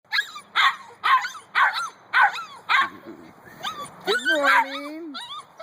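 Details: Two-month-old Siberian Husky puppies give an early-morning wake-up call: sharp, yelping barks about twice a second, then wavering, whiny howls, wanting to come out and play.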